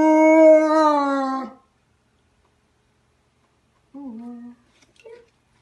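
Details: German Shepherd imitating a police siren; a sustained howl over a second long, falling slightly, then silence and a shorter lower howl with a brief final note.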